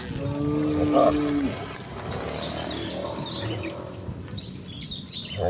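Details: Village cattle heading excitedly to the pen; one low, even, sustained moo lasting over a second opens the clip, followed by quieter rural background and bright bird chirps.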